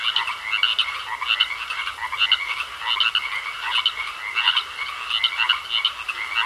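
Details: Frogs croaking in a pond, a dense chorus of short pulsed croaks in bursts roughly every half second to second, stacked rough notes with a steady higher whine running beneath.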